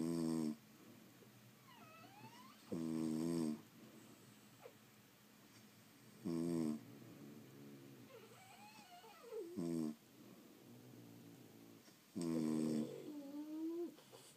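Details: French Bulldogs asleep at home give loud, buzzy harmonic snores roughly every three seconds, separated by softer wheezy whistles that glide up and down between the snores.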